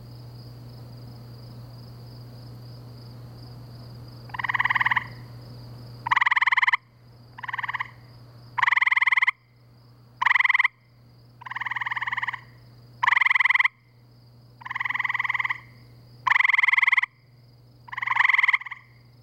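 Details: Gray treefrogs calling at night in spring by a pool near woods and wetlands in Framingham, Massachusetts; loud cricket-like trills begin after a few seconds quiet, bursts under a second long, overlapping callers alternating roughly every one to two seconds, steady low hum beneath.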